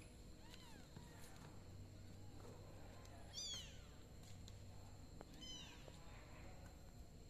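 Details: Kittens in a box, several short high meows with rising-then-falling arcs around one and a half, three and a half and five and a half seconds, over a steady low hum and faint room noise.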